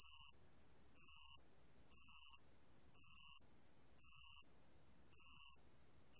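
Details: A bell cricket (알락방울벌레) sings high, bright, buzzy trills in half-second bursts, about once a second; recorded by Korea's National Institute of Biological Resources in 2020.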